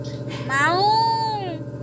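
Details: A cat giving a single drawn-out meow, about one second long, that rises and then falls in an arched shape, heard over a steady low hum.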